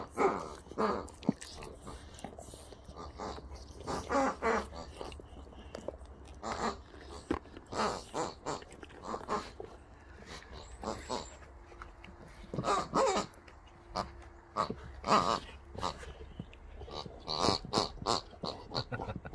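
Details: Two Boxer dogs, Rex and Sammie, playing with new toys Rex got as a birthday gift: short snorting, wheezy grunts and chewing or biting noises come in irregular bursts, some loud and clustered, with quieter gaps between.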